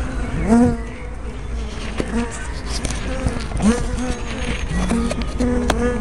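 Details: Honey bees at a hive entrance on 24 May 2012, filmed with a small spy camera and 180-degree fisheye lens; overlapping buzzing tones from bees flying past, repeatedly rising and falling in pitch over a steady low hum.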